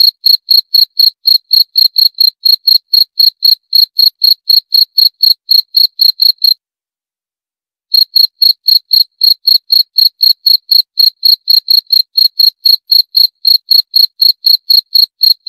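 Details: Rapid high cricket (jangkrik) chirps pulse at roughly four per second, break off for about a second of silence midway, then resume at the same even pace. No other sounds.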